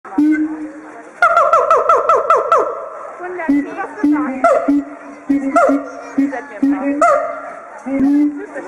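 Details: Caged siamangs in small enclosures, singing loudly using the inflatable throat sac as a resonator, a song serving territory marking and pair bonding; a steady low hoot gives way to fast runs of ringing, rising whoops repeated in bursts.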